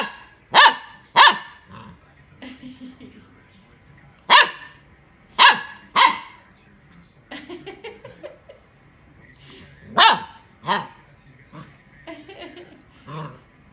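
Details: A Golden Retriever puppy learning to bark gives sharp, high barks in uneven bursts, with a person speaking between them.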